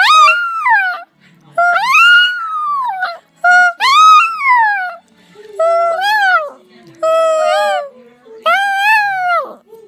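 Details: Jake, a 15-year-old poodle, singing: a series of drawn-out howls that rise and fall in pitch, each lasting about one to one and a half seconds with short pauses between, in a small indoor room.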